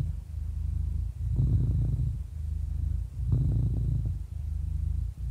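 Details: Low rumbling purr of a happy 11-year-old cat, two louder, grittier swells separated by softer stretches, each lasting close to a second.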